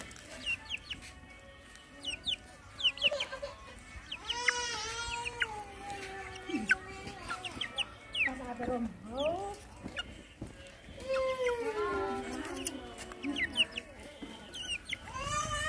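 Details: Hungry puppies with their poor mother dog, being given food, whine in long wavering harmonic cries that rise and fall, several voices overlapping, with short high squeaks between and a steady low background hum.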